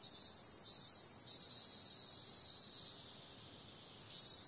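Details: Cicadas calling at night: a sharp high buzz with a few short pulsed bursts at the start, then a long even drone before swelling again.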